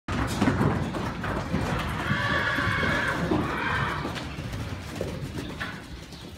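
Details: Friesian horses, young colts of 10 to 12 months imported from the Netherlands; a drawn-out whinny with banded harmonic tones in the middle of the clip, over steady background noise and hoof clatter.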